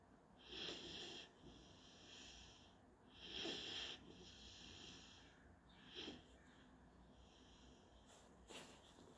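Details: Napping GSP puppy Panzer, German Shorthaired Pointer, filmed 17 February 2021, breathing in soft wheezes and snuffly snores spaced about every two to three seconds, the later breaths quieter and shorter against a faint steady background hum.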